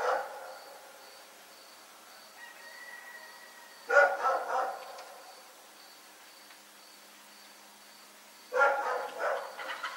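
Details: Pet dog at Pyrga barks into the night, with single harsh barks followed by short stuttering bursts, spaced several seconds apart over quiet background hum.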